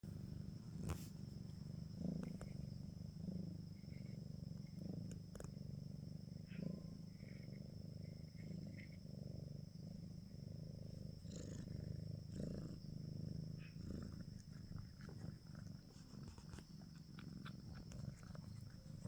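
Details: Domestic cat purring, a steady low rumble that continues through the whole stretch with slight rhythmic pulsing, plus scattered clicks and faint handling noises.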